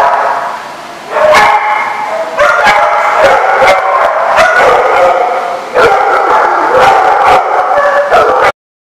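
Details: Several dogs bark at once in a lot, a loud layered chorus of sharp barks and higher yelps, beginning after a quieter first second and stopping abruptly near the end.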